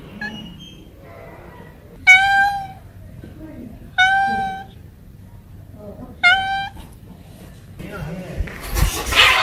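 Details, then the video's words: Cats making noise while playing; three clear, drawn-out meows, each under a second long, spaced about two seconds apart, with quiet background murmur and a brief rustle at the end. "noisy Cats are making noise and playing"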